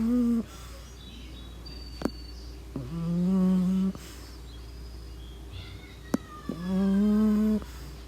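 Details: Pug asleep, giving three long humming snores roughly three seconds apart, each a steady low buzzy tone lasting about a second, with a couple of sharp clicks in the quiet gaps.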